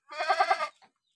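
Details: Boer cross goat, sick with a runny nose, giving a single short, tremulous bleat that pulses about four times.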